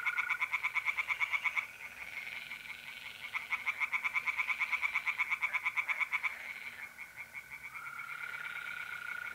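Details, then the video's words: Tree frogs singing at night in mid April by a pond in north-east Italy: loud bursts of rapid, evenly pulsed croaks, about three per second, in runs of several seconds, over a steady high trill of mole crickets. "relaxing singing tree frogs in pond and trilling mole crickets by night"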